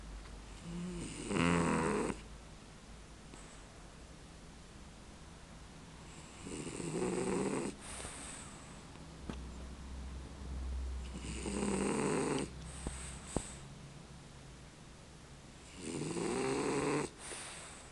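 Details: A male French Bulldog snores while sleeping, in rough, rasping breaths that come roughly every four to five seconds.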